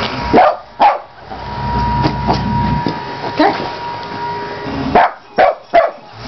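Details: A pet dog, a female, plays with a carpet cleaning tool that a person works; short sharp barks come in pairs near the start, then three quick barks close together near the end, with a steady electrical hum and voices between them.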